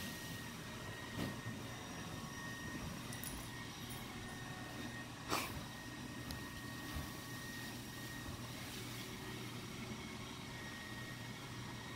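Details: A steady indoor machine hum with a few faint knocks, like a robot vacuum running in the background, and no animal voice heard.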